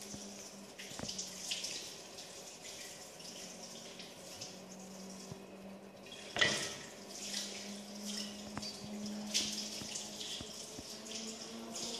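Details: Water running from a tap in a small indoor room, with a steady low hum, scattered drips and splashes, and a louder splash around the middle; no animal voice is heard.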